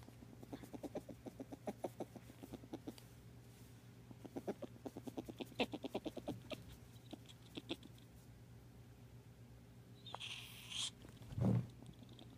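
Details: Loki the pet ferret, sharing a home with Tater the cat: soft rapid clucking dooks repeated in quick bursts over several seconds, then a brief hiss-like noise and a low thump near the end, over a constant low hum.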